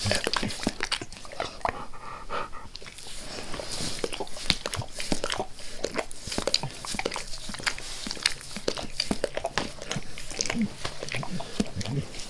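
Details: Max, a pet dog, licks his owner's face with zeal: a dense stream of wet, smacking clicks and slurps, fast and irregular, filling the whole stretch with no talking.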